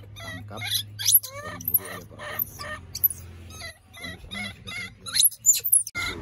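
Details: Two baby monkeys crying at an animal market: shrill, harmonic cries in irregular bursts, some sweeping sharply upward into thin squeals, over a steady low hum.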